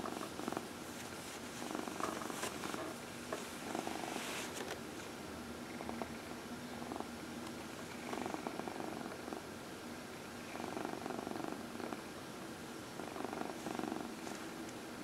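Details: Domestic cat, a 14-year-old female, purring during an early evening massage on a lap indoors; soft continuous purr in repeated bouts with brief pauses and faint rustling.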